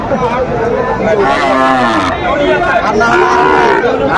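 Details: Sahiwal bull calf at a cattle market in Kurigram, Bangladesh, 17 April 2025, where a farmer is buying cattle: a drawn-out lowing moo with wavering pitch, a second shorter low call, and men talking and bargaining throughout.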